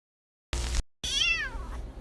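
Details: Domestic cat giving a single meow that swoops up and then slides downward, with a bright layered tone lasting about half a second, preceded by a short burst of noise and followed by quiet room sound.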